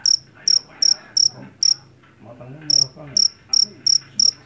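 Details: Jangkrik jeliteng, a Javanese field cricket caught in a rice field and known for its loud voice, gives shrill high chirps in two bursts of about five, with a one-second pause between, over a faint low murmur.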